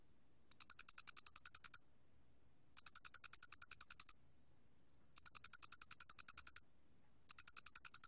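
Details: Square-headed cricket recorded for Korea's National Institute of Biological Resources, 2020: clear high chirping trains of about a dozen rapid pulses each, every train lasting over a second and separated by silent gaps.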